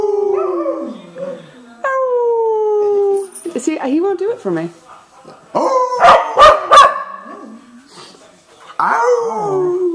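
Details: Cardigan Welsh Corgi named Divot singing with a man, giving long, steady howls that sag gradually in pitch, then a cluster of choppy yelps and barks midway, with human vocalizing overlapping.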